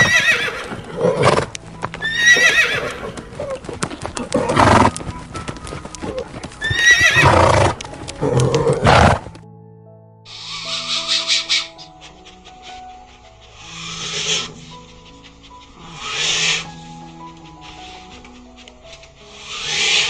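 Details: A horse whinnies several times over music, with loud, bright, shaky bursts in the first nine seconds. After that, music dominates with softer breathy sounds.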